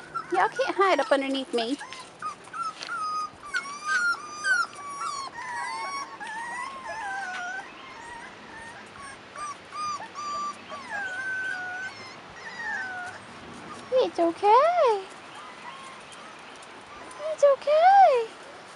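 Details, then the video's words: Young Rottweiler puppies, 4.5 weeks old and outdoors for the first time: a steady stream of thin whimpers, then two loud arched yelps near the end, with a person speaking. "Rottweiler Puppies 4.5 Weeks"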